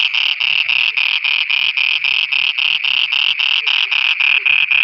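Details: At night in Pakistan, frogs give a steady series of loud, nasal, pulsed croaks, roughly three to four per second and very even in rhythm, with faint deeper croaks in the background.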